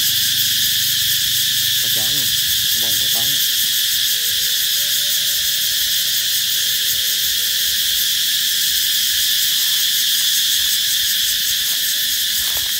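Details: Summer-announcing cicada chorus, a sustained shrill buzz throughout, joined early by a few short harmonic vocal bursts and a faint low tonal line in the middle.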